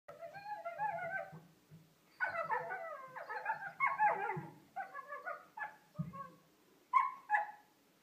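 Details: Two 17-week-old Kuvasz puppies, recorded 26 December 2015 at Christmas, howl or "sing" in wavering, sliding tones, breaking into whimpering yelps between longer drawn-out notes.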